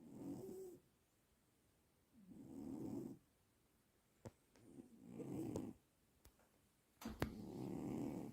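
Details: Juniper, a sleeping dog, snores loudly enough to keep Skadi awake: four long, rasping breaths roughly every two seconds, separated by silent pauses, with a few faint clicks between them.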